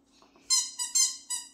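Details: Shih Tzu puppy indoors singing along while a baby conducts: four short, high, strongly harmonic yelping howl notes in quick succession, each sliding slightly, with a faint room hum beneath.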